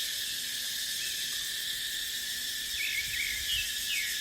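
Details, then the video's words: In a dipterocarp forest in the dry season, cicadas keep up an even, high, sizzling buzz while a bird adds quick slurred chirps in the last second and a half. "เสียงจั๊กจั่น สายลม ในป่าเต็งรังยามหน้าแล้ง"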